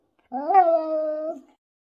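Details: Pet Siberian Husky "talking" indoors: one drawn-out tonal whine-howl that rises quickly, then holds a steady level pitch for about a second before dropping off, in an otherwise quiet room.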